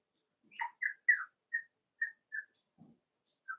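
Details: Cavalier King Charles Spaniel puppies playing in an indoor home puppy pen. A run of about eight short, whiny squeaks comes every half second or so. The first squeaks are wavering and the later ones are thin and steady, with a quiet pause near the end.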